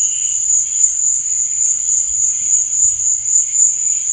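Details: Cricket chirping at night: a dense, shrill high-pitched trill carries on steadily, with a faint lower chirp at the start.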